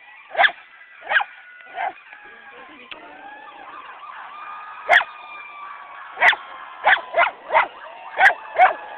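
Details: At Sunset's annual parade, the dog Sadie, who dislikes sirens, barks in irregular bursts, about a dozen short sharp barks. Layered emergency sirens rise and fall throughout.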